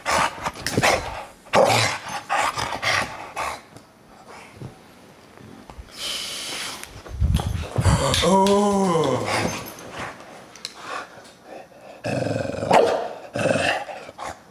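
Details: Deisal the bulldog, growling at a camera he hates: rough, noisy bursts in irregular runs, with a rising and falling whining moan in the middle, then more harsh grumbling outbursts.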